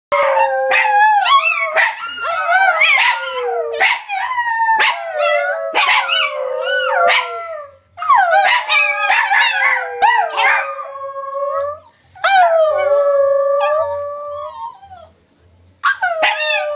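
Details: Three pet Chihuahuas howling together in a small chorus, overlapping wavering high howls that slide up and down, broken by sharp yips and barks, with brief pauses near twelve and fifteen seconds.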